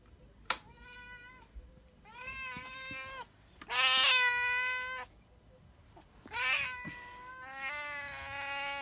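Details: A domestic cat meows five times in about nine seconds, each call a clear, drawn-out, steady-pitched mew lasting around a second, with the third and fourth louder and harsher, against low room hum.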